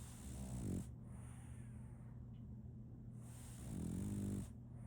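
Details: Deep, throaty snores from Solaimy, a French Bulldog puppy sleeping soundly: two drawn-out rumbling snores about three seconds apart, the second longer and louder, with hissing breaths and a low steady hum between.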